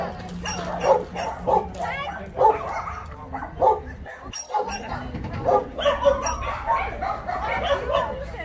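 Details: Many dogs at the Yangsan abandoned-animal shelter (Mindeulle Shelter), South Korea, filmed during volunteer work, bark in a dense overlapping chorus: short sharp yaps and barks from several animals at once, with human voices mixed in.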